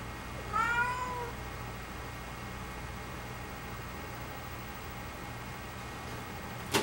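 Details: House cat utters one short, bright meow that bends downward, then a long quiet stretch of room hum ending in a sharp knock.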